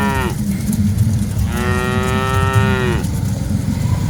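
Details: Among dozens of cattle being herded, the tail of one moo fades, then after a pause a single sustained bellow holds steady for about a second and a half before dropping away, backed by a continuous low rumble.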